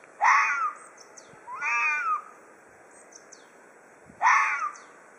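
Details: Ezo red fox in threat display: a rough scream, then a more tonal, wavering wail, then another harsh screech, all within five seconds.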